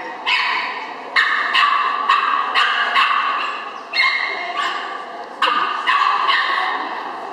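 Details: A Chihuahua at an agility trial in Henau in September 2011 gives sharp, high yapping barks, roughly a dozen in seven seconds, coming in quick uneven bursts over steady background noise.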